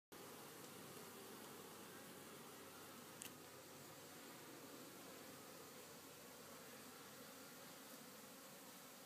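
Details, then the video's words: Honey bees back at work after a day of rain and rest on a farm in Italy; a steady, dense hum of many bees forms a continuous buzzing bed with no breaks. "Api a lavoro dopo la pioggia"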